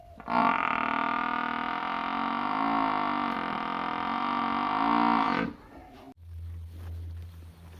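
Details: A cow in a village gives one long, drawn-out moo with a steady, rich tone that wavers slightly before stopping.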